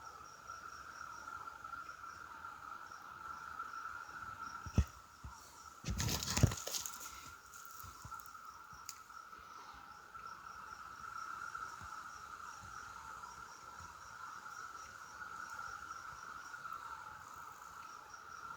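Cicadas drone in a steady, unbroken buzzing chorus, with a brief rustling knock partway through.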